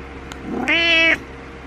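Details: Attention-seeking house cat utters one strong meow, starting with a soft rising lead-in then a level, bright half-second cry that ends abruptly, against low steady hum.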